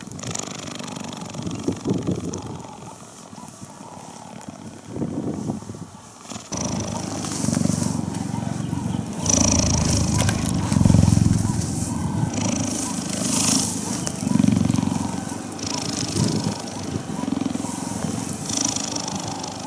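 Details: Cheetah purring during cuddling, the low pulsing rumble faint at first and then swelling in bursts after about nine seconds, mixed with rustling, brushing and handling sounds.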